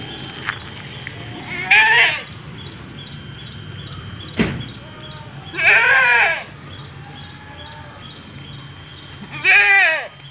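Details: Etawa goat, a seven-month-old female standing 70 cm tall, bleating three times at roughly four-second intervals; each call is a nasal, wavering bleat lasting under a second, with a sharp knock and faint voices between calls.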